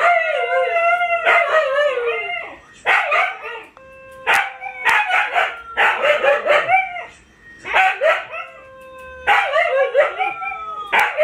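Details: Siberian Huskies, among them Luna, Gizmo, Arya and puppies, howling together: overlapping wavering howls with yelping breaks, some long steady tones holding, bursts stopping and restarting every second or two.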